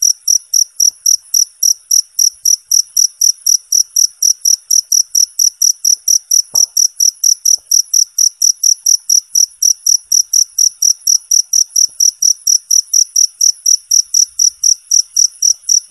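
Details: Clean, clear cricket chirps for tutoring contest songbirds: a steady run of high, shrill pulses about four per second, continuing without pause, one faint knock midway.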